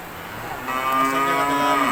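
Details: Pure Friesian heifer at a dairy farm giving a short, steady moo that swells in loudness, with a strong rising harmonic tone held to the end, over farm background noise.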